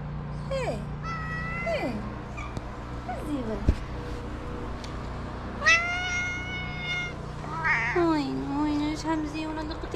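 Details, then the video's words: Cat from a small shelter for abandoned kittens in Morocco, reacting when a hand reaches to play and slapping it; several loud drawn-out meows, some falling, some wavering and harmonic-rich, over steady low hum, with a person speaking. "The cat slapped my hand hard when I wanted to play with it."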